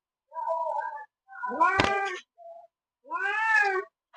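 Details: Village cat meowing while wanting to eat bread: three drawn-out meows in four seconds. The middle one is the loudest, with a brief noisy burst. A person speaks nearby.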